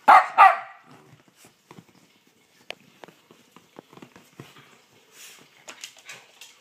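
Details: A dog gives two sharp, loud barks in quick succession at the start, then only faint clicks and soft rustling follow in a quiet room.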